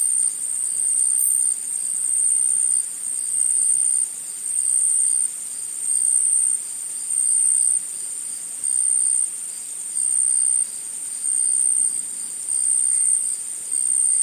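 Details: Forest insects calling together: a sharp, high-pitched shrilling pulsing on and off about every second and a quarter, with a brief brighter chirp near the start.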